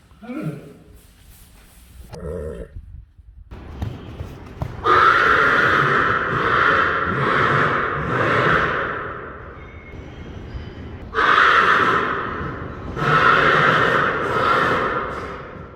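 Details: Friesian horse neighing, loud harmonic whinnies running from about five to ten seconds and again from eleven to fifteen seconds, preceded by softer short vocal sounds at the start.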